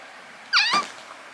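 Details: Talkative rescued kitten in a foster home, strongly attached to its foster mother cat; a single short harmonic meow, rising then falling, lasting about a third of a second in a quiet indoor room.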